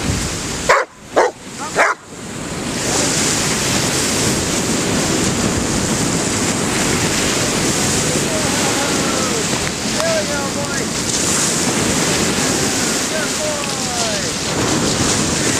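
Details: Harley, a pet dog, playing fetch at Cordova Bay in the Pacific Ocean, Victoria, British Columbia, Canada, on 10 October 2011; three sharp barks in the first two seconds, then steady crashing surf fills the rest.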